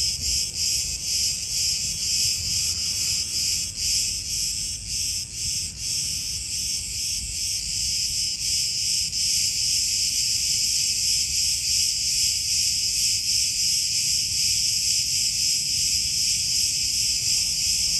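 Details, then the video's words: Cicadas in chorus among olive groves on Crete, Greece: a dense, continuous high-pitched buzzing drone of many insects, steady and loud throughout with slight pulsing surges, no other clear sounds. "Cicadas Orchestra in Olive Groves"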